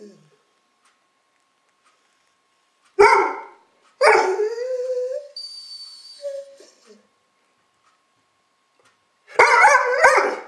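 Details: Gunner, a dog barking at the camera, gives a sharp single bark, then a longer drawn-out, wavering yowl that slides upward before fading; a short final burst of rough barking ends it after a few seconds of quiet.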